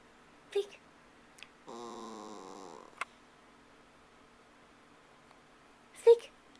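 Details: Pet dog Mindy, said to be missing an absent person, lets out a single wavering whine lasting just over a second in a quiet room, with a few sharp clicks and short bumps around it.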